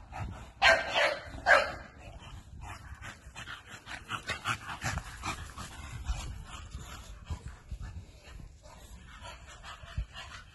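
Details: American Bully giving two loud, sharp barks close together at the start, followed by a long run of quieter, irregular yips and whimpering sounds fading in and out.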